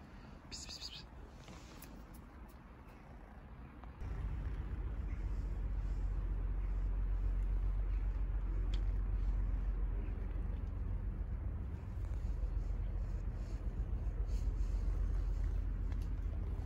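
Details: Tabby kitten living among Istanbul's street cats, asking for affection by purring and rubbing: a steady, deep rumbling purr close up, beginning around four seconds in and continuing evenly to the end, with faint traffic in the background.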